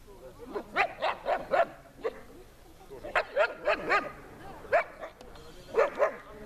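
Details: Puppies at a training session in Horlivka, 13.09.20, give short high yapping barks in quick bursts of three to five, separated by brief pauses, with human voices talking quietly underneath.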